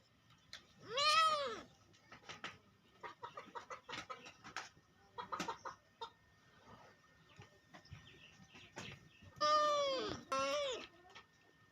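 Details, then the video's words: Cat meowing: two loud, drawn-out harmonic meows, one near the start and a wavering one near the end, with softer clicks, rustles and faint short calls in between. "cat sound meow"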